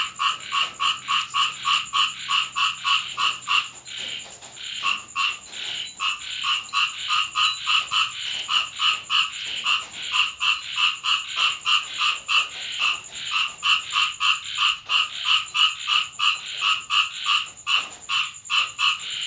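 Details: Nighttime rain in Thailand with frogs calling near a home; dense, rhythmic croaking at about three notes per second continues throughout, with a shrill steady tone above and a brief low rumble early on.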